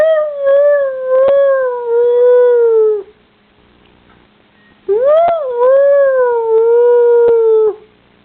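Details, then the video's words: Pet dog making weird noises: two long, clear howls of about three seconds each, pitch wavering gently then sliding down at the end, separated by a short quiet pause, with no other sounds. "Funny dog sounds"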